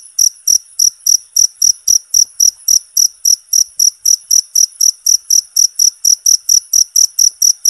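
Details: Insistent high-pitched cricket chirping, a natural recording for mastering songbirds, with crisp pulses repeated about four times a second in a regular beat.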